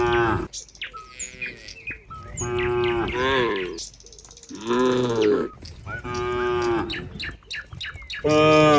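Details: Crowd of cows in a barn calling in turn, a rapid string of moos about every second, some short and nasal, others longer and wavering, with faint bird chirps between them.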